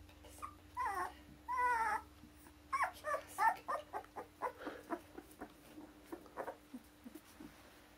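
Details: Akita puppies born 16 November, awaiting new owners, offspring of Kotono Go, a Japan-born Akita in Hungary; high whining whimpers and short yips, some drawn-out rising whines then quicker repeated squeaks over a steady electrical hum.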